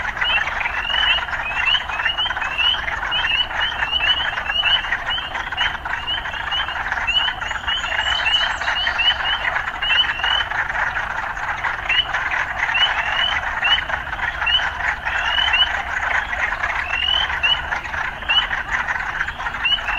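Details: Urban frogs calling together in a thick, continuous trilling chorus, with many quick upward chirps packed closely above it throughout.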